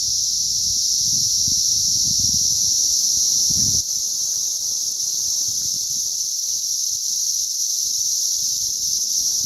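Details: Cicadas in a mass hatch on May 20th 2034 fill the air with a steady, unbroken high-pitched droning chorus, with low rumbling noise during the first four seconds.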